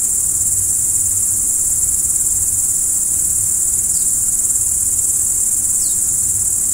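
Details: A steady high cricket trill at night fills the whole stretch without a pause, broken only by two faint, quick descending chirps near the end.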